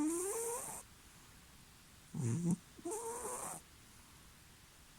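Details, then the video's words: Oliver Crumpet Cromwell, a rescued stray cat, deep asleep and making piggy noises: a couple of drawn-out, rising squeaky snores with a short low snort between them, in a quiet room. "Cat snoring like a pig"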